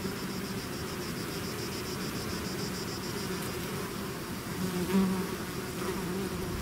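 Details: Bees swarming out of their hive make a dense, continuous low hum, steady in loudness with a faint thin whine high above, swelling slightly near the end.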